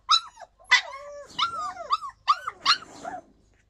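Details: Yakutian Laika recorded in July 2020: a short run of high yips and whining notes, some sliding downward, spaced in quick irregular bursts over a few seconds.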